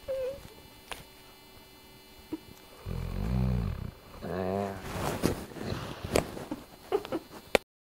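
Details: Ruby, a dog, snoring while asleep: two deep, rasping snores in a row, the second rougher and wavering. Soft clicks and rustling are heard around them.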